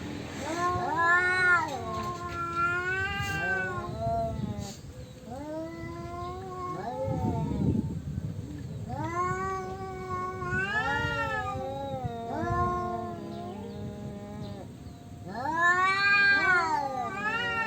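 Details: Rival tomcats fighting over territory with long moaning yowls, rising and falling in arched, quavering wails; several drawn-out cries alternate and overlap, with a rough growling burst near the middle and a loud howl at the end.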